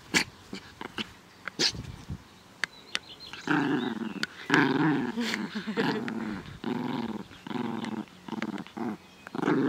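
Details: Naja, a female dog, playing happily in a garden on 17 May 2014 in good weather, gives rough, throaty growls in short bursts, quieter at first and then in steady, rumbling runs broken by brief pauses.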